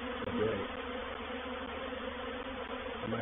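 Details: Swarm of honey bees entering a bait hive, recorded 04/07/21 at Painted Peacock Manor. A thick, constant hum from many bees, slightly swelling near the start, steady layered drone throughout, with a faint tap toward the end.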